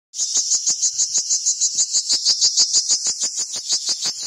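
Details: Cricket giving a steady high-pitched trill of rapid pulses, about three per second, each a bright metallic chirp, continuing evenly without pause against a quiet background.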